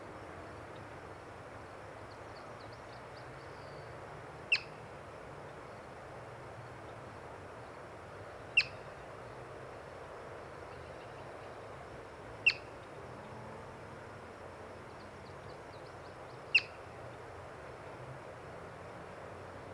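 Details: Four short, shrill chirps from a yellow-bellied marmot, met during a birding outing, ring out roughly every four seconds, each an abrupt high note standing clear above constant outdoor hiss.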